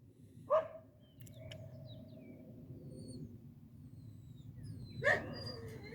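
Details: Medo, a Croatian Sheepdog working as a herding dog, gives two short, sharp barks roughly four and a half seconds apart, with a quiet outdoor background between them.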